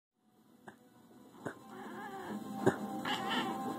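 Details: Domestic cat meowing: after a few soft thumps, short harmonic meows rise and fall near the end, with a faint musical background.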